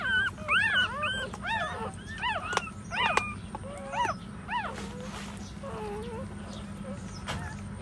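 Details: Nursing puppies suckling from a mother dog who stands: clear, tonal whimpers that rise then fall, repeated about twice a second, with a few sharp clicks and a lower drawn-out whine toward the end.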